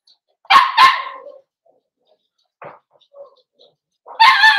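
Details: Cavalier King Charles Spaniel puppies in a home puppy pen, being socialized with several bigger adult dogs: two sharp barks in quick succession, a few faint soft yips, then a longer harmonic whining yelp at the end.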